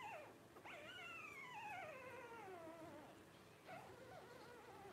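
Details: Newborn Blenheim Cavalier King Charles Spaniel puppy, 12 days old, from Paris and Spike's five-pup New Year 2023 litter, lets out a long drawn whine sliding steadily downward over two seconds, framed by short squeaks before and after.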